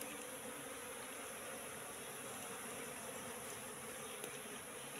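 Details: A wild Apis cerana colony settled in a trap box that was set three months before. A continuous, even, low buzzing drone has no clear breaks, under a faint hiss.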